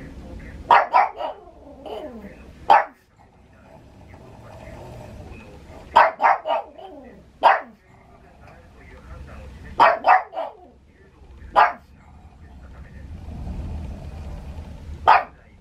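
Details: Pug dog at home in Saitama, Japan, 6 May 2020, barking at thunder: clusters of two or three snappy barks every few seconds, with single barks between, over a low background murmur.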